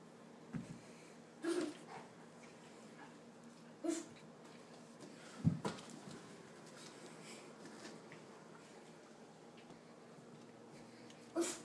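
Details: Dog giving short, high whimpering yelps in brief bursts, about four across twelve seconds with quiet gaps between, against a low steady background hum.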